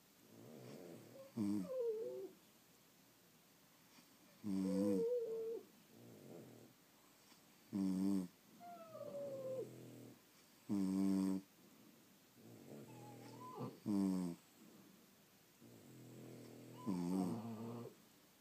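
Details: French Bulldogs sleeping indoors produce steady snores roughly every three seconds, each a loud buzzy rattle followed by a softer whistling, squeaky breath out.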